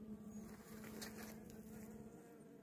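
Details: Honey bees of a caught swarm, whose own queen cells failed, being given a young queen: loud, close, continuous buzzing on a steady low tone with rich overtones.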